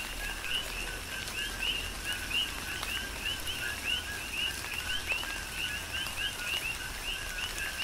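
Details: Coqui frogs on the Big Island, Hawaii, calling through a tropical downpour; numerous overlapping high chirps, each a low note followed by an upward-sweeping one, repeated densely above continuous rain noise and sharp drop impacts.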